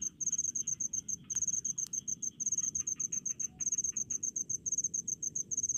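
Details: High, rapid chirping of a cricket in Indonesian rice paddies, pulses packed into repeated bursts with brief gaps, two sharp clicks early on, faint other insects and low ambient rumble behind.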